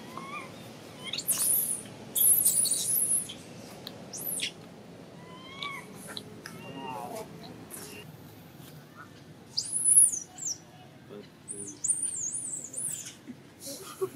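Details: Infant monkey rejected at the breast by its mother screams in very high, shrill squeals that come in bursts, mixed with shorter, lower whining calls and faint background noise.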